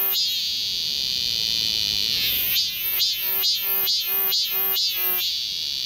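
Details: Summer cicada chorus in Galsan Park's forest path, Yangcheon-gu, Seoul, South Korea. A continuous high shrill buzz gives way to about seven ringing, evenly spaced pulses in the second half.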